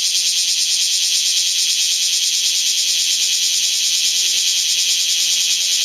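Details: Several bear cicadas singing between rain showers in the strong-wind zone of Typhoon No. 12: a dense, continuous, pulsing high-pitched buzz, rapidly repeated, filling the upper range throughout.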